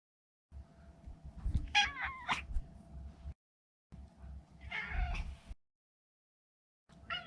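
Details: Maine Coon Maro, neutered male pet, making wavering, warbling meows that bend up and down in pitch, over a low rumbling background and a faint steady hum.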